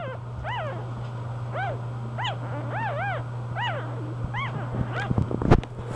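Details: Newborn English bulldog puppies from Pebbles' litter, born two hours after the due date, give short high arched squeaky whimpers, rising then falling, about seven over four seconds. A steady low electrical hum runs throughout, with rustling handling noises near the end.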